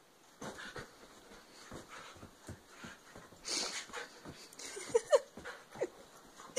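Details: Siberian husky Xubia chasing a laser pointer indoors: quick panting breaths, then a couple of short squeaky whines near the end, mixed with scrabbling paws and thumps on the floor.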